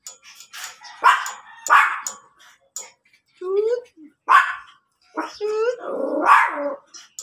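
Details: Rare blue-coated Miniature Pinscher in Pangasinan, Philippines, giving four short, sharp barks spaced irregularly over several seconds, with faint music and some yelps in between.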